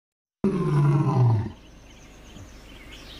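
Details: A seated lion in Gir Sanctuary, Sasan Gir forest, India, gives one deep, throaty roar that slides downward in pitch over about a second.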